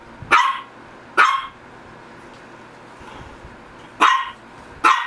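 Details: Two quick sharp barks, a gap of nearly three seconds, then two more from a Shih Tzu, each bark short and bright, with a faint low hum throughout.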